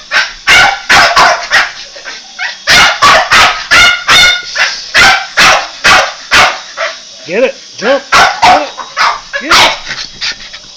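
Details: Boston Terrier barking while attacking a toy helicopter, rapid sharp barks in irregular bursts about every half second, with a few rising whine-like yelps near the end and a person speaking briefly.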